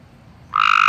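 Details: A frog out in a yard at night, in the dark, gives a loud, rapid pulsed trill that starts abruptly after a moment of quiet; it stops calling when a light is turned on.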